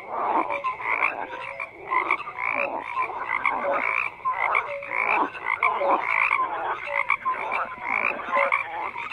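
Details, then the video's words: Frogs croaking in a large chorus, rough pulsed calls and short clear notes repeating in waves about every second, many animals calling at once. "FROGS CROAKING"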